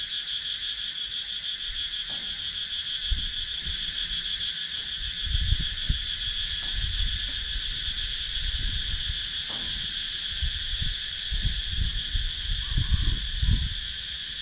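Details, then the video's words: Wooded countryside cicadas in Sakon Nakhon, Thailand, recorded by GoPro Hero 9: a sustained high, hissing buzz with quick pulsation, overlaid by scattered low thumps and rumbles from wind or camera handling. "Cicadas Sound"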